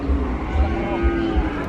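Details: A cow just unloaded from a pickup, among many cattle waiting to be sold, gives a long, steady, low moo that holds one droning pitch throughout.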